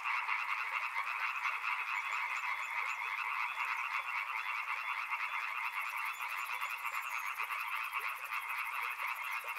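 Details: Frogs calling together near a river, a continuous, thick croaking chorus with rapid pulsing; late in the stretch a thin, high, fast-ticking buzz joins above the frogs.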